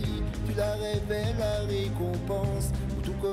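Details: Loud melodic music with singing-like tones and a strong bass line fills the whole stretch, with no animal sound.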